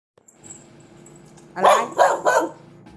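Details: A pet dog barks to ask for a snack: three quick, sharp barks in a row after a soft whine, indoors, with a faint high background tone.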